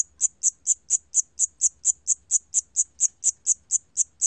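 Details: A Siamese cricket, recorded in 2020, gives high, shrill chirps repeated steadily about four times a second.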